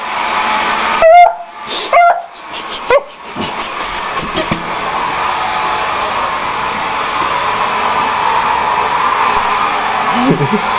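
A beagle gives three short, high, wavering howls over the steady roar of a hair dryer.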